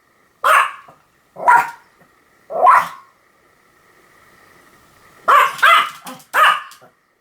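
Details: Pomeranian yapping: three single high barks about a second apart, a quiet gap with a low faint hum, then a quick run of three more barks.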